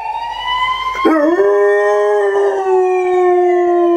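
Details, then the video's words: KC, a male German Shorthaired Pointer, howls for the first and only time: a long, smooth, drawn-out tone that starts abruptly and then holds steady, slowly sliding lower, with a second wailing, siren-like tone running alongside. "Hear the Incredible Howling of a German Shorthaired Pointer"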